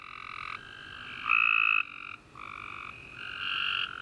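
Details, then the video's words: Tree frogs calling at night after warm summer rain: continuous overlapping buzzy trills, one louder frog breaking in for half a second, others rising and falling in turn with a short pause. "Tree Frog Chorus After A Warm Rainy Day"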